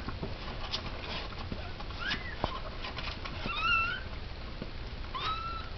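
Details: Calico cat giving birth to her second kitten of three. Thin, high mews rise then fall in three short calls at roughly two, three and a half, and five seconds, over soft rustling and shuffling.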